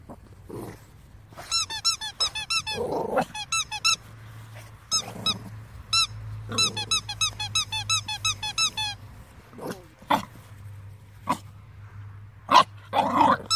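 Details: Two-month-old Staffordshire Bull Terrier puppy giving high, squeaky whines in quick strings, broken by short rough barks and growly yelps, with steady low hum in a room behind.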